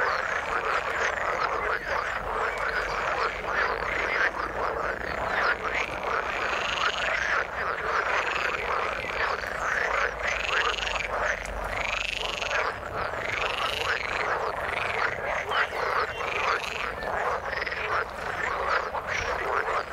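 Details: Frogs in the water call steadily in a dense chorus, with looping, throaty croaks repeated over and over.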